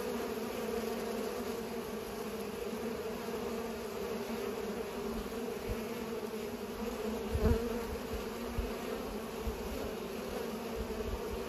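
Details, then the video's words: A chorus of pollinating bees hums steadily, a rich low drone that swells slightly, broken by a few faint low thumps and one louder knock past seven seconds. "Bees are pollinating"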